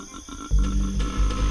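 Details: A male koala (Phascolarctos cinereus) gives a deep, fast, pulsing bellow, a rapid low throb used when searching for a mate, over soft music.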